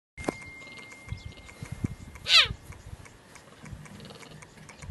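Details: A cheetah (Acinonyx jubatus) gives a single brief, high, chirp-like call over a quiet, noisy background.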